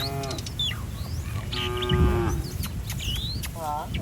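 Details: Village cattle from a herd roaming the street give short harmonic moos near the start, middle and end, while quick high chirps of small birds are scattered throughout over low rumbling background noise.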